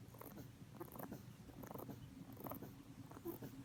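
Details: ['Pet rabbit sleeping soundly on its back indoors, snoring: soft, low, breathy bursts repeating roughly every half to three-quarters of a second, each with a faint raspy edge, over a steady low hum.']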